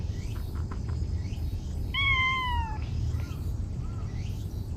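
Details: Chatty stray cat giving one clear drawn-out meow, gently falling in pitch, with faint chirpy sounds before and after and a constant low rumble of outdoor noise behind it.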